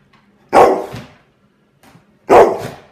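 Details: Angry dog barking at a fidget spinner: two loud, harsh single barks about two seconds apart, with near silence between them.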